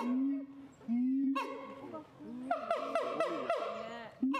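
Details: Siamang producing two drawn-out, low, steady tonal notes, followed by a quick cluster of harsher harmonic barks with slightly rising pitch, ending on another low tone.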